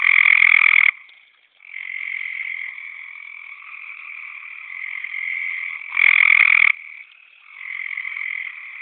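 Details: Gray treefrog (Hyla versicolor) advertisement call during mating: one frog gives loud, musical trills to attract a mate over a steady chorus of more distant trilling frogs.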